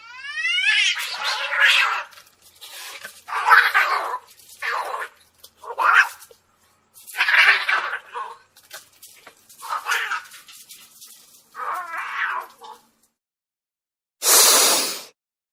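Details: Angry domestic cat giving a string of about eight harsh, strained, wavering meows and yowls, each a second or so long, separated by short pauses, then a sudden loud, breathy hiss at the end.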